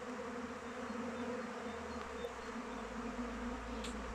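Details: Honey bees in flight around the hive in open weather, thick constant buzzing drone with no pauses, a faint low hum beneath and a small tick near the end.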